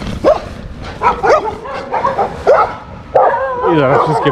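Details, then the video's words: German Shepherd making noise in a village, giving a string of sharp barks about once a second, then drawn-out wavering howl-like whines; a person is also heard. "Major makes some noise in the village/Major robi trochę hałasu na wsi"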